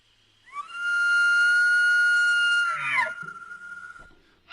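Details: Elk call played back, a sound said to be confusing in dark woods; a high, pure whistle rises quickly, holds steady for about two seconds, then breaks into a short rough burst, followed by quiet room noise.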